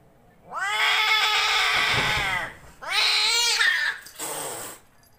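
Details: Angora and Persian cats gathered together; a long loud meow holding a steady tone then dropping, a second shorter falling meow, and a brief harsh hiss-like burst to finish.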